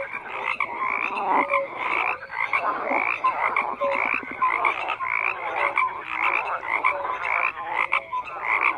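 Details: Dense frog chorus of grating, rattling croaks layered over one another, with short low tonal notes recurring every second or two and constant swelling pulses throughout.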